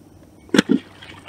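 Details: An American alligator head-slaps one morning at Circle B Bar Reserve amid feeding gators: one sharp, cracking smack on the water, then a duller splash a split second later, over quiet background.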